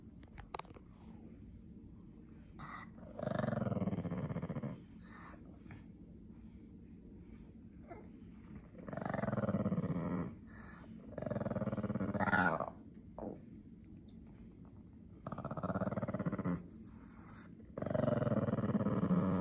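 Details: Pekingese dog indoors, angry when someone tries to take his toy mouse: low rumbling growls in bursts of about one to two seconds, separated by short quiet gaps.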